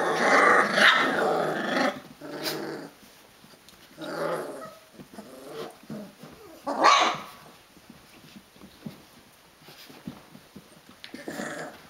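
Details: 22-day-old Rhodesian Ridgeback puppies wrestling indoors; a strong squealing growl opens, followed by scattered yips and shrill cries around 2.5, 4 and 7 seconds, fading to soft scuffles.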